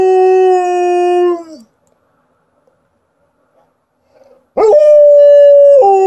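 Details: Female Alaskan Malamute howling on show: a sustained steady howl fading with a downward slide, a quiet pause, then a sharp rising onset into another long level howl that steps lower near the end.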